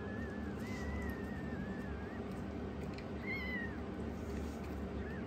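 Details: Indoor rescued foster kitten, the youngest, squaring up to its older sister: a long wavering meow followed by a shorter falling one and a brief final mew, against constant low room hum.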